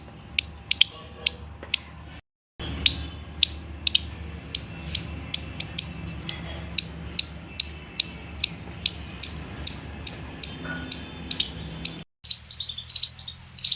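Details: A run of sharp, high squirrel chirps repeats at an even pace of about two per second, each note short and slightly falling, with a short break early on and a faint hum beneath.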